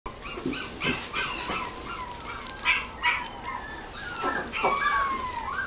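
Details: Pekingese at a pet shop in Nagoya, Japan; high, thin whimpering whines sliding up and down, repeated in short bursts over a constant background hiss.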